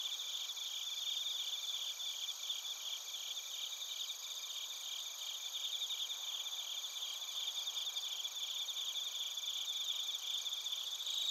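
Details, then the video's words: Steady night-insect chorus of bell crickets and crickets from Narita, Chiba, Japan, recorded with a TASCAM Portacapture X8: several high, bell-like trills overlap continuously, each a fast, even stream of pulses, with no other noises. "スズムシとコオロギの鳴き声 - Chirping of crickets"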